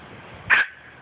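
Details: A single brief, bright yip-like bark from a poodle stands out over faint steady hiss, recorded on an Android phone; a voice nearby asks what it is.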